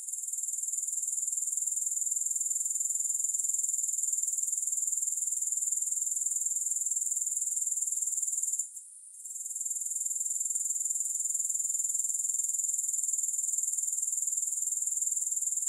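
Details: Continuous grasshopper stridulation, a high, dense, pulsing trill, holds steady for a long stretch, briefly dips to near-silence around the middle, then resumes at full strength.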